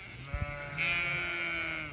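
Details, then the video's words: Zwartbles ewes on a County Kilkenny farm in Ireland, chatty as their field is checked; a long steady harmonic bleat swells after a couple of soft thumps and holds level for over a second, outdoor field ambience behind. "Ewes all very chatty as I check their field for when I next move them"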